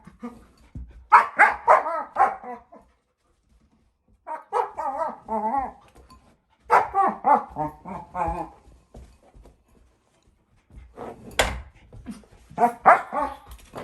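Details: German Shepherd puppy, female and four months old, playing with her bowl and making funny noises: four bursts of warbling whines and grumbling yips separated by short pauses, with a few sharp clicks.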